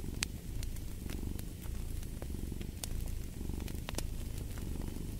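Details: Domestic cat purring steadily, a low continuous rumbling throb, layered with the sharp pops and crackles of a burning fireplace throughout.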